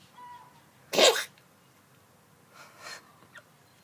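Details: Pet cat coughing up its food: one sharp, explosive, sneeze-like burst near the first second, then a softer rasping huff and a brief click, with faint tonal sounds just before the burst.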